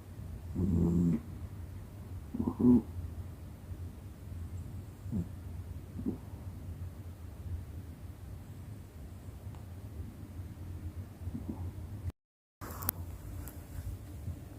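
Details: A domestic cat asleep, snoring softly: low rough breaths that pulse irregularly, with a few louder snores near the start and quieter breathing after, plus a brief dropout near the end.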